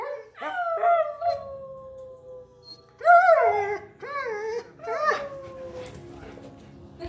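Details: A Siberian Husky and a German Shepherd, two pet dogs, howl against each other in a loudness contest: long sliding wails that fall slowly, overlapping, with rising and wavering howls joining near the middle and end.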